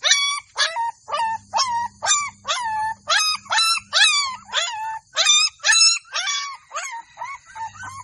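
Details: Golden Labrador puppies in a village yelp in quick succession, roughly two high, wavering cries per second with rich overtones; a soft intermittent hum runs beneath.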